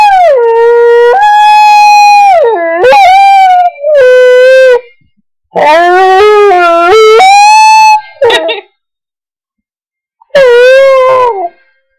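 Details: Howling to bagpipes, the dog Digger gives a series of wavering, modulated wails that dip and rise in pitch, broken by short gaps and a brief yip-like burst; the music itself is barely audible.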